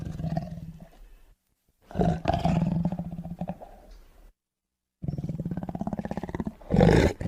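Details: Tiger giving deep, pulsing roars with a throaty, vibrating tone. A short roar is followed by a longer one of about two seconds, then, after a pause, another sustained roar ending in a loud harsh burst.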